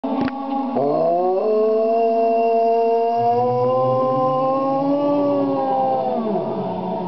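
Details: River, a retired 7-year-old male racing greyhound, rooing along to the HALO theme music: a long sustained howl that slowly rises in pitch and holds before dropping away, with choral music underneath.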